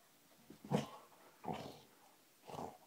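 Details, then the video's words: A Cardigan Welsh Corgi, addicted to tennis balls, gives three short grumbling growls about a second apart, an odd growling, purring bark made while handing over a tennis ball. "Bailey the cardigan corgi makes funny growling noises while"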